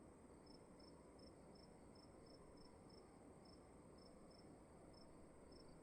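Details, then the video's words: Crickets inside a room: a single steady line of short, high, evenly spaced chirps, around two to three each second, over a low, continuous hum and hiss. "Sound of emptiness and crickets in the room"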